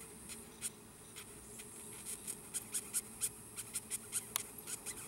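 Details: Giant red velvet ant, a wingless wasp called cow killer, filmed close up while handled before release; a quiet run of short, sharp, high squeaky pulses, about a dozen, spaced irregularly over several seconds.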